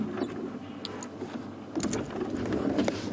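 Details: Engine hum and mechanical rattles from a safari vehicle with faint clicks, no animal calls heard.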